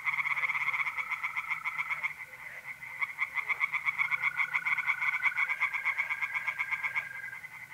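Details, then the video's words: A pond tree frog chorus on a mid-April night in North-East Italy. The fast, rattling croaks dip briefly near the middle and then build again, while a steady mole cricket trill joins in the second half. "relaxing singing tree frogs in pond"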